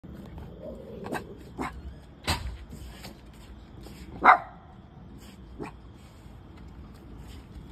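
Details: Two dogs, a cavapoo and a shih tzu, barking indoors: scattered sharp barks and a louder yelp spaced over several seconds, with low growl-like rumbles between them.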